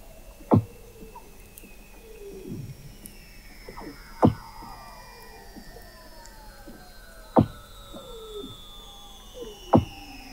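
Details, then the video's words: Weddell seals under the sea ice of McMurdo Sound, Antarctica, recorded in November 2017 by the McMurdo Oceanographic Observatory 21 m below the ice: long gliding descending whistles overlap, punctuated by four sharp knocking pulses about every three seconds. "Song of the Antarctic Weddell Seal"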